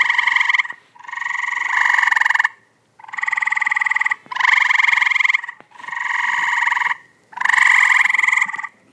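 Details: Tree frogs back in a pool, 2014, giving rasping, pulsed calls in bursts of roughly one second, one after another with brief silences, the voices sometimes overlapping.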